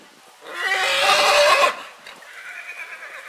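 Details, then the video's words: A single loud, rough whinny from a purebred horse in spring, bursting out strongly and holding for just over a second before dropping to quiet background sound. "CABALLO PURO RELINCHANDO"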